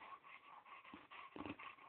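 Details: Chow Chow rolling around on a yoga room floor indoors, giving short soft whimpering and grunting sounds with brief breathy bursts, while a person speaks gently nearby.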